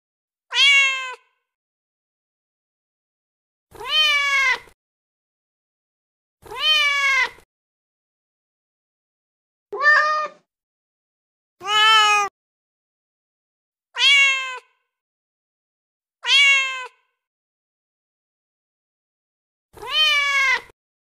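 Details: Cat meows offered as a call to draw cats in: eight bright, high harmonic meows with clean silences between, roughly every two to three seconds, each falling slightly at the end; nothing else audible.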